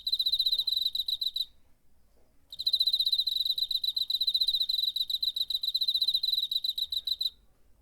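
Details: Cricket, recorded September 2019 with a DR-05, sings in long bursts of fast, evenly pulsed high chirps with ringing overtones, stopping for about a second between bursts, against a quiet background.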